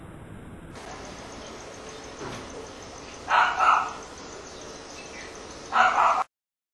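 An Indian bullfrog gives two loud, short, bark-like croaks a couple of seconds apart.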